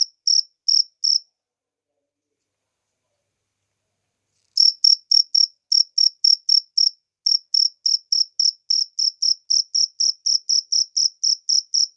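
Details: Cricket in the wild, heard in nature: a few high chirps, then a silent pause of over three seconds, then a long steady run of rapid, evenly spaced shrill pulses.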